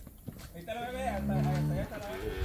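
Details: Calf in Campeche on 20 August 2022, handled with a rope by people: one sustained, low, steady moo of about a second, richly harmonic, following brief human speech, with voices and rustling around it.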